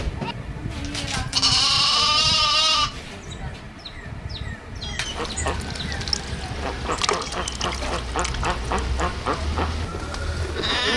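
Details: Farm goat that has just had two kids, heard in a loud, tremulous, wavering bleat lasting over a second, followed by Hindi talk, music and steady background hum.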